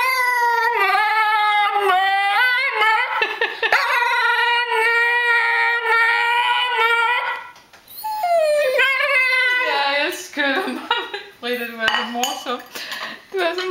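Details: Frida, a female Tibetan Terrier, sings her food song indoors, begging to be fed: drawn-out wavering howls with strong harmonics, then shorter falling whimpers and yips toward the end.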